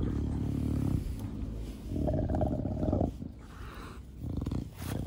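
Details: Low, gravelly snorting breaths from Da Vinci, a pet bulldog of a short-nosed breed, in a garden; rattling drawn-out exhales broken by short pauses and a few sharper puffs.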